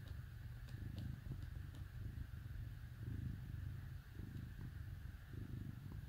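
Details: Cat cuddled with dogs on a cold winter day gives a deep continuous purr, low rumbling bursts swelling roughly each second, with faint ticking in the background.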